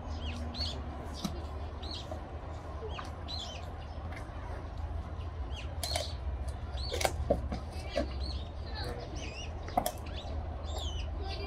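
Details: Eastern black rhinoceros Samia at Tennoji Zoo, filmed 28 March, crunching thick branches with strong molars while eating; sharp crisp snaps near six, seven and ten seconds over a steady low hum, with small birds chirping throughout.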